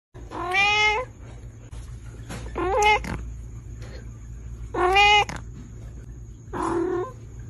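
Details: Domestic cat making pig-like sounds: four short harmonic squeaks and grunts spaced about two seconds apart, each rising then breaking, over a steady low hum and a faint high tone.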